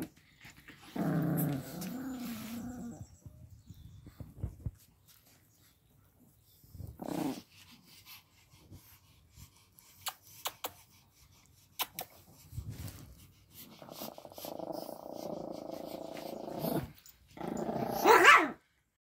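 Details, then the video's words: Pomeranian pups and dogs playing on a bed; intermittent throaty play growls separated by quiet stretches and rustling, ending with a loud high yap. "Pom puppies and dogs playing"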